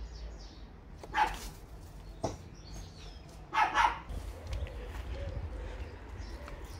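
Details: Domestic Bernese Mountain Dog from a pair of pets, Olly aged 2 and Albert aged 9, barks in short bursts: one bark, then a quick double bark a few seconds later, with birds chirping softly in the background.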